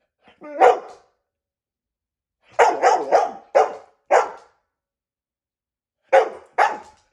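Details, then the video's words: Pet dog opens with a brief whining yelp, then fires a fast cluster of rough barks, pauses, and ends with two more separated barks. "Dog barks"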